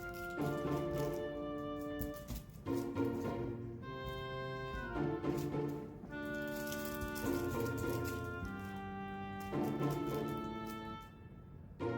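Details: Orchestral music with brass and sustained chords plays throughout, with no animal sounds audible.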